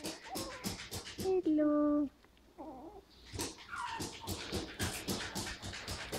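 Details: Havanese puppies at five weeks old, from a litter of seven born to Max and Cookie, indoors: a short whimpering whine with stacked harmonics lasting under a second, surrounded by close affectionate human talk and rustling.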